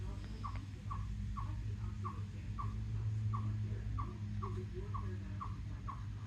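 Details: A chipmunk on a rock, recorded July 2, 2024, repeats a sharp, high chip roughly twice a second, evenly spaced, over a low steady rumble of wind or distant noise; owner wonders why it makes this sound.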